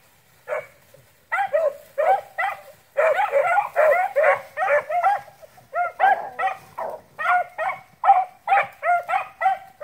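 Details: A pack of beagle rabbit-hunting dogs bays in chorus, a stream of ringing, drawn-out yowls in relentless pursuit of cottontail rabbits.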